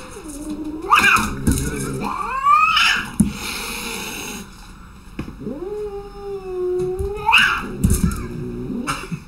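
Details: Frightened house cat letting out long, drawn-out yowls that swell and bend in pitch, several in a row with short breaks, over background room noise.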